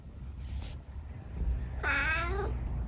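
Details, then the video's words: Eric, a senior tabby mix cat living with his family in the UK, chatting with his owner indoors: after a soft spoken phrase, one clear harmonic meow near the end, steady then slightly falling, over low room hum. "Conversations with my cat, Eric"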